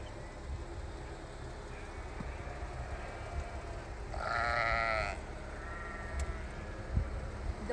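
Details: Sheep bleating on the way to Black Bear Pass Summit on 8/10/19: one loud, harmonic, wavering bleat lasting about a second midway through, over steady low rumble and distant voices.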